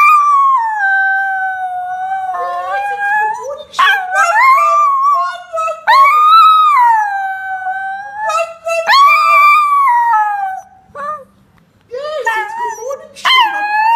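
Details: Morning howling from a three-to-four-year-old female Chinese Crested Powderpuff on the Gold Coast, Australia, teaching another Powderpuff to howl: drawn-out rising and falling howls interrupted by sharper yelps, with a brief human voice.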